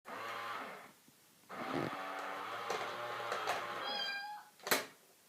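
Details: Cat facing another cat in a box, giving long, low, drawn-out moaning yowls that waver in pitch, with a short bright squeak and a sharp knock near the end.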